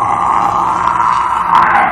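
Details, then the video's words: Chakotah, a male harbor seal at New England Aquarium, gives a sustained moaning vocalization swelling slightly toward the end, on a trained verbal cue; he also vocalizes often on his own, unlike most quiet harbor seals there. "that's a pretty unique sound. Most of our harbor seals are fairly quiet, but Chakotah has this really awesome set of vocalizations that he offers."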